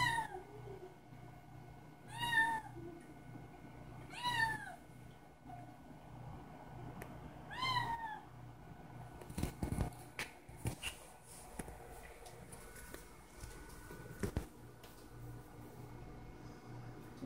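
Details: Kitten awaiting breakfast meows three times, short downward-curving cries about every two to three seconds, followed by clattering and rustling household noises over a low hum.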